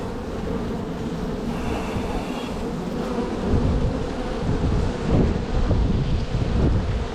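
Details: Honey bees swarming-ready in a strong spring hive being divided; rough low roaring hum with wind-like rumble, rising in loudness after the midpoint.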